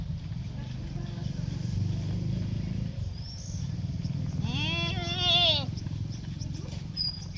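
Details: A one-month-old Holstein Friesian calf on a Maharashtra dairy farm gives a single short, rising then falling harmonic moo midway, over steady low engine-like rumble and brief human speech.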